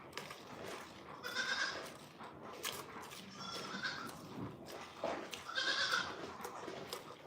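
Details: At The Willful Goat Farm & Home, a goat bleats three times, each a short, quavering, nasal cry spaced a couple of seconds apart, with low household noise and murmured voices behind.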